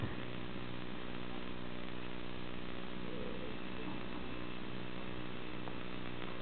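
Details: A steady low mechanical drone like an engine or power tool runs throughout, with no animal voice heard.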